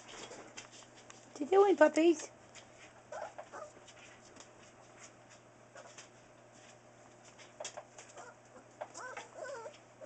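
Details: Newfoundland puppies four weeks old, a litter of Buffy and Smokey: a loud wavering whine in the second second, then quieter whimpers and a cluster of squeaky cries near the end, with faint human speech.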